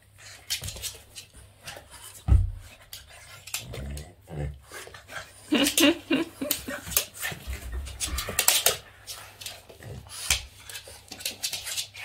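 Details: Boston Terrier named Yoda playing with its owner's hands, giving short snuffling grunts and soft whimpers in uneven bursts, with louder scuffling thumps around the middle and faint human voices in the background.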